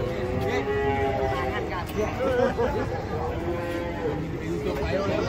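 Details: Giant, fat cattle being unloaded from a truck: drawn-out lowing with wavering harmonic tones, mixed with people's chatter and background music throughout.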